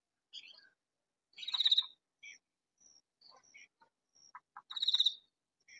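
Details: A katydid in a vegetable garden delivers two loud, rasping pulsed bursts about three seconds apart. Scattered softer chirps and thin high tones are heard between them.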